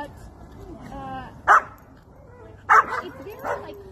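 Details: Happy German Shepherd meeting friends at a playground: three short, sharp barks, the first standing alone and the last two close together, each a loud broadband burst, with a human voice talking just before the first bark.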